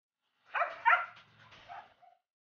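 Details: Belgian Malinois dog giving a short run of high, whining yelps and whimpers, two stronger cries followed by fading softer whines and a thin final squeak, against silence.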